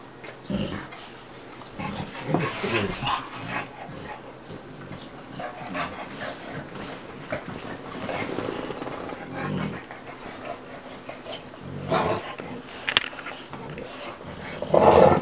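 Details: Bubba, a two-year-old American Bulldog, and Ruby, a five-month-old Dogue de Bordeaux, playing together: scattered breathy snorts and rough bursts of noise, with a louder scuffle near the end.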